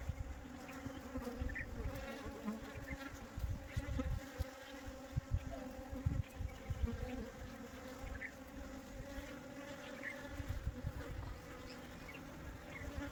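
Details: A swarm of honey bees being captured and put back into the hive fills the air with a dense, steady, low drone.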